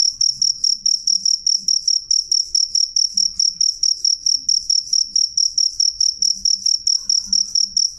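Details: Clear, loud cricket chirping, high-pitched and bright, pulsing evenly several times a second with no pause. A faint higher overtone and quiet low background murmur accompany it.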